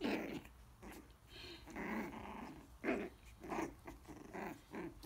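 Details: Nearly four-week-old Coton de Tulear pups at play, biting each other in their pen while the mother watches: bursts of high, gravelly little growls in uneven pulses, separated by brief pauses.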